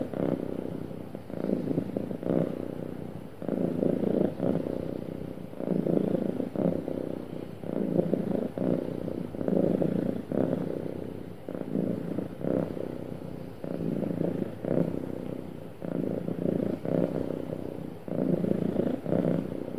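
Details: A happy domestic cat purring smoothly: a low, rumbling purr in steady pulses, each inhale and exhale phase lasting roughly a second, continuous throughout with no other sounds.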